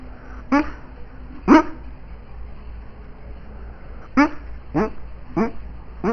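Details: Sleeping female dog dreaming, letting out six soft, clipped yelps that bend downward in pitch, two spaced early then four in a quicker run near the end, with a constant low hum underneath.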